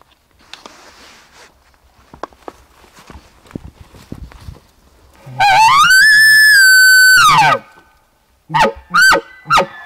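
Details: A bull elk bugles on a September 7, 2018 morning during an archery hunt, answering game calls from a ridge point between two basins. He gives a long, high whistling scream, then yelping chuckles; he proved a hesitant, not-mature bull at about 35 yards.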